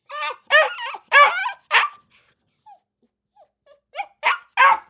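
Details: Dog barking, said to call its companions and gather other dogs: short harmonic barks and yips in a quick burst of four, a pause with faint soft notes, then three more barks.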